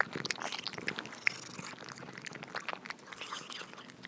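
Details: Cats eating: dense, irregular crunching and wet chewing clicks spread across a wide range, fairly soft, with no vocal calls and a quiet indoor background.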